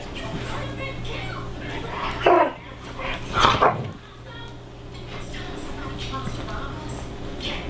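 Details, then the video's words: Greyhound dog talking to its sister: two short, loud, whining yowls with falling pitch near the middle, separated by about a second, over a steady low hum and faint background sounds. "Funny Greyhound Dog Talks to Sister"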